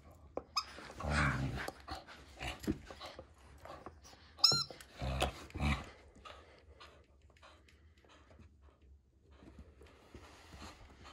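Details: A female Border Collie named Storm fights for her ball with low rumbling growls in two bouts, broken by a single thin, high squeal, then quieter huffs and shuffling.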